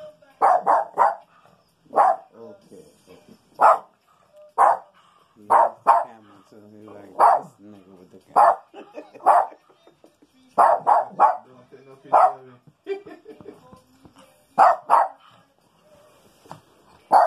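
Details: Rico, a Maltese dog, hunts through a house for a hidden skunk on a rainy day, the skunk likely under the house. Short sharp barks come in pairs and singles at irregular intervals, with a quieter voice murmuring between them.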